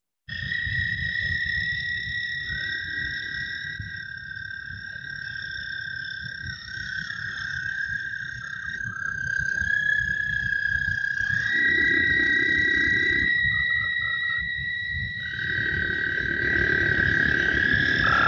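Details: A group of American toads in Iowa, almost deafening and audible from far away, gives long, overlapping musical trills that blend into a steady, ringing drone.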